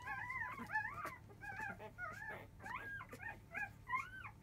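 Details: Newborn field-type Labrador Retriever pups, five days old, make a racket as they begin to suckle from their mother biscuit just past 1 pm. Loud, rising-and-falling whines overlap in quick, uneven succession over a low hum.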